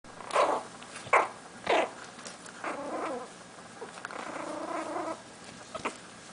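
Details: Yorkshire Terrier puppies, six and a half weeks old, giving three short loud yelps early on, then softer whining and squeaky calls, with a longer wavering whine in the middle and a last brief yelp near the end.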